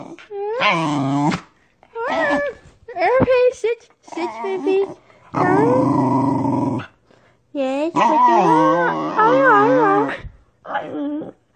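A Corgi makes a run of wavering, howl-like grumbles and whines that sound almost like talking.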